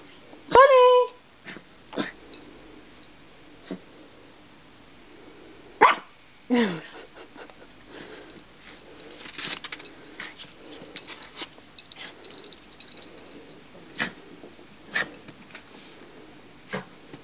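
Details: Three dogs, Toby, Bonnie and Taz, playing in the snow with a ball: a sharp bark with a brief falling whine near the start, another yelp around six seconds, then scattered thuds, snow crunching and a woman calling to them.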